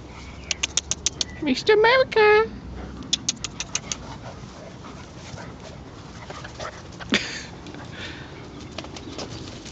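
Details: Northern Inuit Dogs, mother Tiva playing with her puppies indoors; a quick burst of rising, high-pitched whining yelps in the middle, preceded by a run of sharp clicking taps, with faint voices and music in the background.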